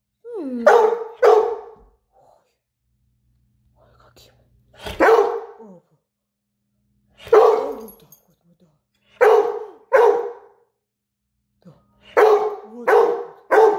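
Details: Rhodesian Ridgeback barking to invite play, indoors: harsh, loud barks in pairs and threes, spaced by pauses of one to two seconds, with brief whines between some of them.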